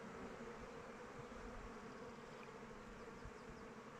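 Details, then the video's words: Outdoors in open weather, honey bees circle their hive, producing a thick, constant drone of wingbeats with a faint brighter whine above the low hum, unchanging throughout. "Bees flying around hive"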